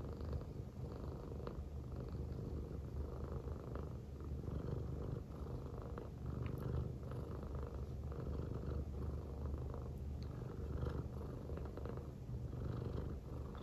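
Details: Female silver tabby American Shorthair cat, born January 2019, purring affectionately while lying on a person's belly: a steady, deep, rumbling purr that runs without a break, with soft rhythmic pulsing and faint rustles.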